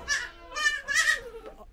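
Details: Black Bengal goats at a village goat farm in Bihar, India. Three short, quavering, nasal bleats follow one another within about a second and a half.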